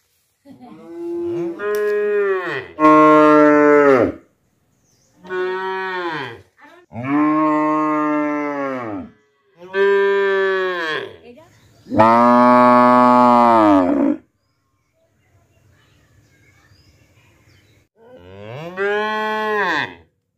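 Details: Cows mooing in a village in Tripura, India, recorded live on a mobile phone, a mother cow calling her calf: a series of loud, drawn-out harmonic moos, each about one to two seconds, with short gaps and a longer silence near the end.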